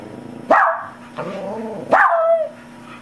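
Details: Pet dog trying to howl along with a recording of a police siren. Two short howls sweep sharply upward and then hold steady, with a lower murmur between them. People speak encouragingly in the background.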